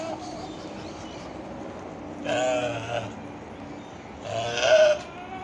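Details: Goats playing nicely together; two nasal, wavering bleats about two seconds apart, the second louder, against a low background hum.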